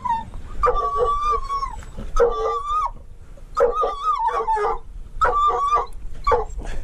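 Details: Treeing walker coonhound hunting mink together with a dachshund: a series of five drawn-out, quavering howled bays, each about a second long and spaced roughly every one to one and a half seconds, with a faint low rumble beneath.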